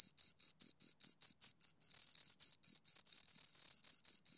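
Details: Two crickets keep up high, ringing chirps, regular at first, then running together into longer overlapping bursts as both insects sound at once. Nothing else can be heard against the shrill pulsing.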